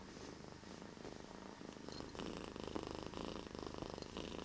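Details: Very deep, close purring from a domestic cat named Bear: a rough, low rumble growing louder halfway through, in breathing cycles.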